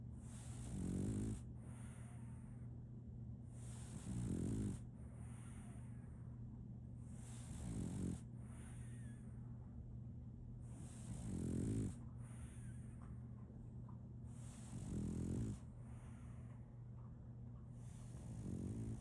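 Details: Solaimy, a female French Bulldog puppy, snoring in her sleep; short low rattling snores recur roughly every three and a half seconds, about six in all, over a steady background hum.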